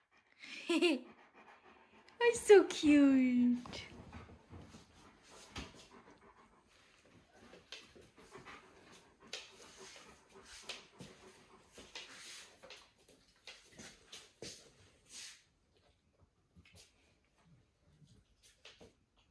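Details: Alaskan Malamutes, apparently for no reason, give a brief drawn-out howl that slides downward, followed by panting and soft indoor noises.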